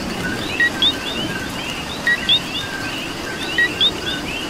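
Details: Two-note coqui calls ring out in Puerto Rico amid rain: a short lower note followed by a bright rising whistle, repeated roughly every one and a half seconds above a background chorus of frogs and falling rain.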